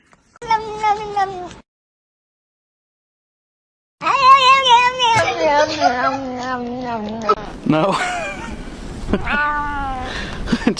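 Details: Domestic cat crying as if wanting out: drawn-out wavering meows, harmonic and slightly quavering, after a brief silent gap, with a person talking over the later part.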